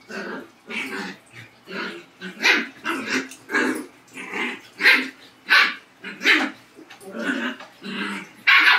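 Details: Dog, in a Labrador versus husky comparison, barking in a steady string of sharp, loud barks, roughly one every half second or so, each bright and hoarse, with short growly edges between them.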